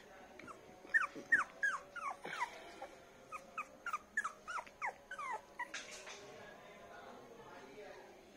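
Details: Poodle puppies, one light golden, on a bed indoors: a string of high, squeaky yelps and whimpers in short bursts, fading out near the end, while people talk nearby.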